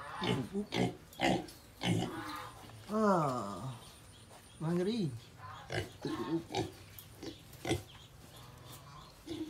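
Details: Home pig with piglets: short low grunts scattered through, two drawn-out harmonic squeals that rise then fall, and human voices talking over them.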